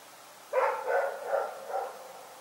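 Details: Rex, a dog, barking in the night: a short burst of four hoarse barks within about a second and a half, each ending in a fading tail, against a quiet background.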